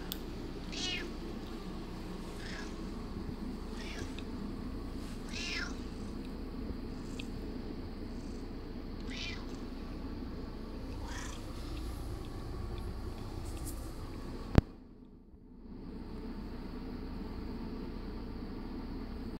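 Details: Curious, a female domestic cat, calls for food while it is being made ready: a series of brief meows every couple of seconds, softer later, over background hum, then a sharp knock and sudden quiet.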